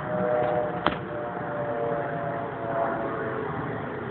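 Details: Steady outdoor rumble with a faint hum and one sharp click, with no animal voice.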